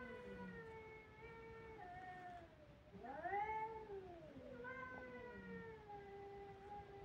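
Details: Kittens crying: long drawn-out mewing cries, a steady tone sliding down, then a sharply rising-and-falling wail near the middle, followed by more level whining meows; quiet room background.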